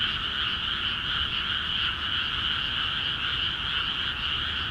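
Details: Rice paddies in Akiha Ward, flooded for planting, ring with many frogs calling at once. The overlapping rapid croaks form a continuous bright trill with gentle swells in intensity.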